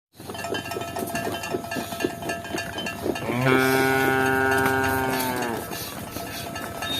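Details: Cows running and walking, with rapid clattering and knocking for three seconds, then one long, loud, steady moo lasting about two seconds before the clatter returns.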